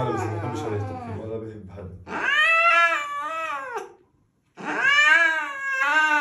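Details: Loud angry house cat letting out two long, strained caterwauls, each swelling then sliding downward, separated by a brief silence; a person's voice talks over the opening seconds before the cat's cries take over.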